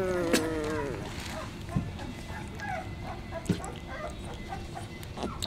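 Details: Sixteen-day-old Basset Hound puppies: a drawn-out whine sliding downward opens the recording, followed by faint scattered squeaks and a few soft thumps over a steady background rumble.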